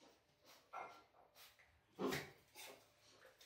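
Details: Bull Terrier father and son Danny and Rich, a few brief whining yelps indoors, one louder cry near the middle, the rest soft and breathy.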